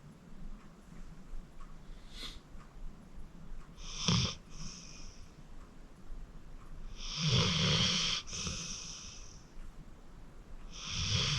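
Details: Fourteen-year-old rescued pit bull named Acorn, a deep sleeper from the Cuyahoga County Animal Shelter, snoring away: raspy, rumbling snores, short at first, then long drawn breaths in and out, growing louder toward the end.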